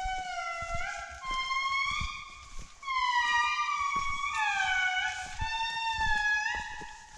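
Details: A family of Indri sings in Andasibe-Mantadia National Park, Madagascar, in July 2019: long, wailing, siren-like notes that swoop and hold, several voices overlapping, the males' voices high and the females' low.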